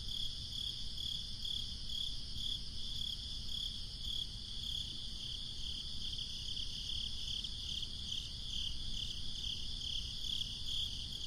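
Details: Crickets fill a breezy summer night with a continuous high pulsing chirp that grows brighter toward the end, backed by a steady low breeze rumble.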